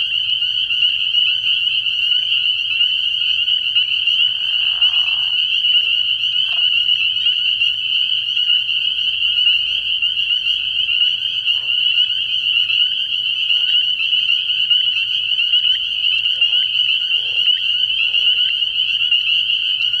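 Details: Spring peepers in full chorus at a frog pond on an early-year night. A continuous shrill ringing of countless overlapping high peeps, with a short lower croak near the start and a few scattered deeper notes later.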